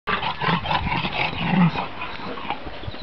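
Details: A Shar Pei giving a rough, low grumbling vocalisation, several gravelly bursts over about three seconds with breathy noise between them.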